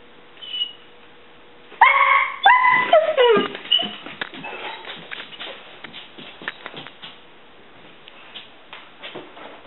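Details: Whimpering yips from Lichen, a pet dog searching for squirrels and announcing them with birdie sounds: a sudden loud burst of tonal, bending whines around two seconds in, falling away into fainter, rapid broken squeaks and soft whimpers.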